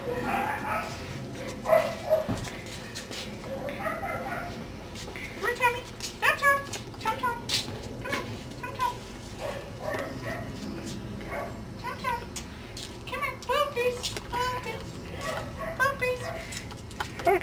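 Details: Cardigan Welsh Corgi puppies, ten weeks old, from the Preston and Velvet litter: bursts of high, quick yips and little barks keep coming throughout, mixed with people chatting and laughing nearby.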